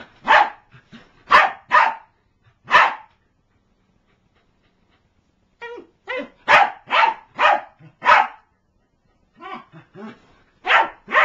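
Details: A female corgi attacking her Barney toy lets out sharp, excited barks in quick clusters, with brief pauses between bursts.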